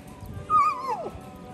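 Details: Tonka, a very vocal male Malamute at a dog park, 'talking' at another dog, Duke the Bully, near the gate: a single high whine that hangs briefly, then slides steeply downward within half a second over quiet background.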